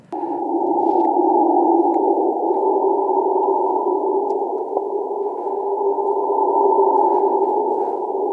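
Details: Howler monkeys calling in chorus in a forest where they are common, isolated as a low-pitched band from a forest soundscape recording: a continuous droning roar, steady and unbroken for the whole stretch, with slight swells in loudness.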